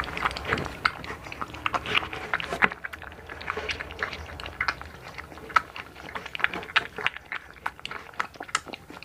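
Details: One-month-old blue American Bully puppy named Hunter eating, close-up ASMR: dense wet chewing and crunching clicks, quick irregular bites throughout, with a brief quieter pause near the middle before the chomping resumes.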